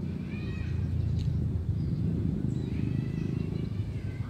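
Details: Cat meowing: two short, high, slightly arching meows, the second longer and falling at the end, over a steady low rumbling engine-like background noise.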